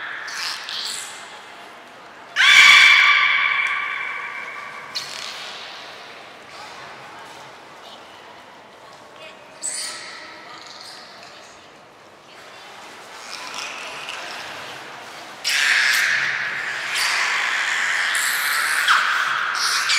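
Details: At Port of Nagoya Public Aquarium on 23 February 2021, belugas Hodoi, Taanya and Mirai are moved between pools and trained. One loud, nasal, harmonic call stands out, with later fainter squeaks amid splashing hiss and hall reverberation.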